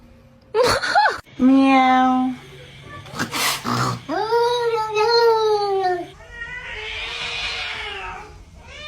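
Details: Domestic cat giving drawn-out, arching meows with strong harmonics, one low flat wail followed by several rising-then-falling cries around the middle, with sharp bangs and a breathy hiss-like burst in between.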